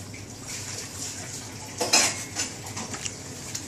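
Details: Dishes and cutlery clink in a small room over a quiet hiss, with no animal voice.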